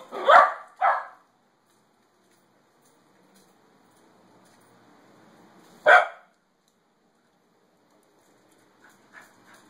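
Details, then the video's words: Pet Pembroke Welsh Corgi barking in reaction to a recording of wolves howling: two sharp, loud barks in quick succession, a long quiet gap, one more forceful bark near six seconds, then a few faint soft yips at the end. "My corgi does not like wolves howling"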